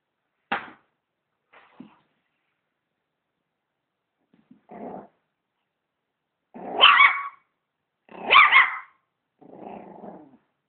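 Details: Dog reacting to a vacuum cleaner with a sharp yelp, low grumbling growls, then two loud rough barks and a trailing growl, spaced over about ten seconds.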